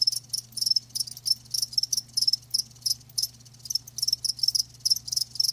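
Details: Live crickets give short, piercing chirp bursts at a fairly regular rhythm, roughly four to five per second, above a quiet steady low hum.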